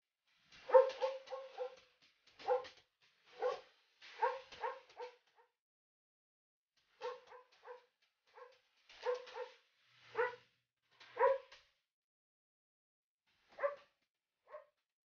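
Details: Belgian Malinois puppies in the Philippines giving clear, high, harmonic yips and whimpers in short clusters of two to five, separated by silent gaps, with no other sounds.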